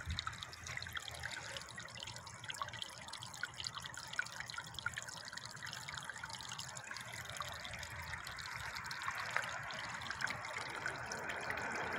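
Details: Steady trickling and dripping water with no animal voices standing out.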